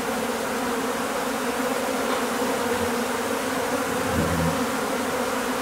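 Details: Swarming Japanese honey bees from a home's overwintered colony, the second swarm, being collected into a hive: a loud, unbroken, many-layered buzzing drone throughout, with faint low thumps near the end.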